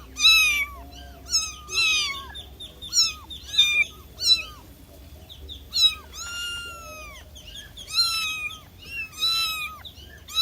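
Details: Kitten calling its mother: high, thin harmonic meows, short and slightly falling, repeated about ten times in irregular bursts, with one longer drawn-out falling cry midway; a faint low hum underneath.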